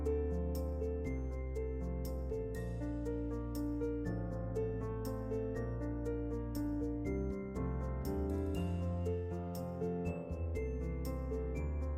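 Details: Soft, tender instrumental music plays steadily throughout, with sustained low tones and chiming higher notes, and no animal voices.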